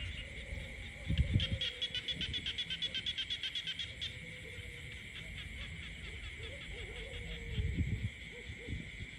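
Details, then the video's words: Frogs croaking in peaceful countryside: a fast run of rapid, high, clicky pulses for about three seconds, over a steady high insect-like drone and low rumbling thumps. "the peaceful countryside becomes alive with the sound of frogs croaking"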